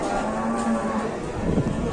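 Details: Very large cattle gathered at a market in Indonesia; a low, droning moo holds a steady pitch with stacked harmonics for about two seconds, with background chatter.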